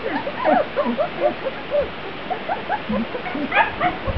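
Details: Grand Basset Griffon Vendéen puppies of a B-litter, outside for the first time on 23 June 2009: many short, high, bending whimpers and squeaky yips overlap in quick succession over a steady rushing background.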